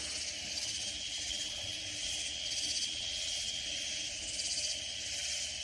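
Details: Texas Hill Country katydids near San Antonio fill the night-time surroundings with a steady high, sizzling drone, a thin sustained tone running underneath and gentle pulsing surges every second or so.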